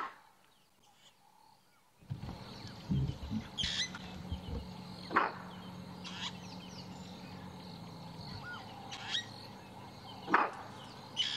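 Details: At sunrise on March 1 in a game reserve, a nyala gives sharp, abrupt alarm barks, spaced several seconds apart, as the female leopard Karula and her cubs move nearby.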